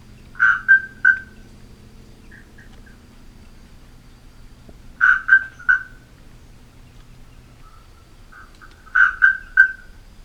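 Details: Atlantic Forest marsupial tree frog (Gastrotheca microdiscus) giving short bursts of three or four clipped, metallic notes, bell-like and bird-like, resembling a bellbird, repeated about every four seconds, with a low background hum.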